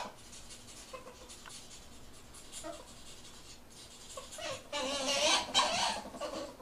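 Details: Ferrets mating indoors in a small room, giving rapid scratchy, clucking bursts about four per second with faint tonal squeaks, growing louder and harsher toward the end.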